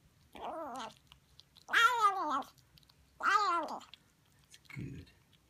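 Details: Noisy young Siamese kitten making sounds as it eats: three harmonic, arching wails, each rising then falling, the middle two loudest and longest, spaced about 1.5 seconds apart, ending with a brief low grunt.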